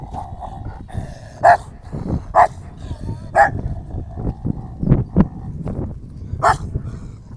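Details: Rottweiler in a face-off with an aggressive dog: scattered loud barks, some close together, mixed with low growling, scuffling and handling noise.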